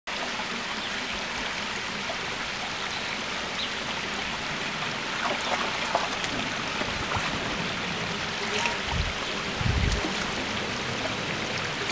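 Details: Continuous rushing and trickling water fills the recording from start to finish, with scattered splashes and no distinct animal voices.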